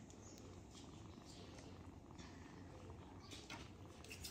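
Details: Black kitten that once could not walk and now walks and runs fast, purring in a steady, low, continuous rumble for the whole stretch, with faint background noise.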